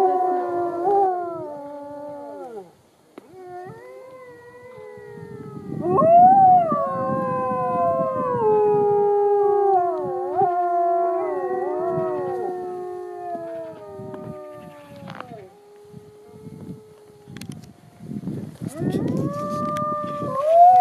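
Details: Wolves in their enclosure at Polar Park, Norway, howl in a chorus of overlapping, gliding tones that rise and fall, pause briefly, then resume with rising notes near the end; rustling and shuffling sounds in between.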